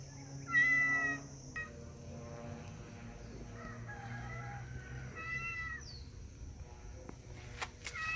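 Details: Cat giving two clear meows several seconds apart, plus softer fainter mewing between them, with low background hum, a steady high tone and a few clicks near the end.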